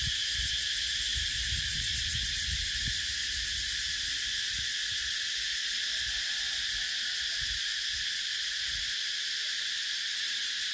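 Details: Shrill, unbroken cicada buzzing fills the air, a high rasping drone pulsing rapidly, with scattered low thumps and rumbles underneath.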